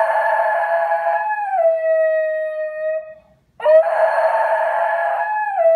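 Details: A male Basenji gives long, mournful howls that hold steady and sag slightly in pitch, crying for his owner who has left the house and howling until another owner consoles him; Basenji.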